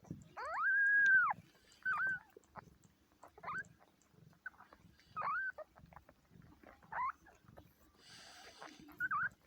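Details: Kitty, a four-year-old female domestic cat, giving birth to a kitten with her owner's help. Thin, high mewing cries: one long arching wail, then shorter rising-and-falling mews about every one and a half seconds over a faint low hum.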